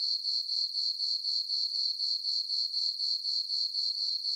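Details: Meadow crickets at night under a full moon in summer, on a farm, sing an unbroken high ringing trill with an even rapid throb, about four pulses each second.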